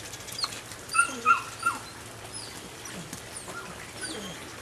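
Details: Rodin/Katana female puppy, 9 weeks old, giving a few short, high, bright yips in quick succession near the start, then quieter thin whines over steady low background hum.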